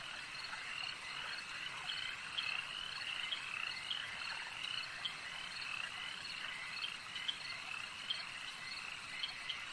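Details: At a lake, a thick frog chorus of layered trilling croaks, with short sharp chirps popping out above the continuous wall of calls every second or so.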